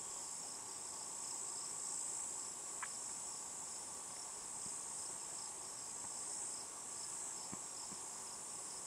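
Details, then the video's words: Cicada, tentatively Tibicen inauditus, calling from a juniper in Colorado's Picket Wire Canyon at about 8 PM: an unbroken shrill high-pitched drone, with a few faint clicks and ticks scattered through it. "possible T. inauditus cicada"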